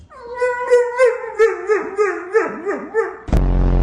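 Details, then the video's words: A pet dog 'talking' in a run of whiny, howl-like vocal sounds that waver and slide around a mid pitch in about eight pulses, cut off by a sudden loud burst of noise at the end. "Talkative dogs"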